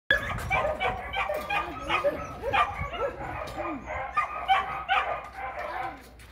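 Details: Border Collie eager to learn frisbee play, barking in excitement: a rapid run of high, arching yips and barks, about two or three per second, with some voices in the background.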